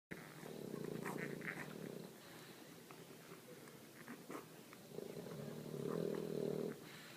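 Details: A mother English Bulldog snoring while her puppies eat, after a long day. Two long, low, rasping snores sound a few seconds apart, each lasting over a second, with faint clicks and rustles between them.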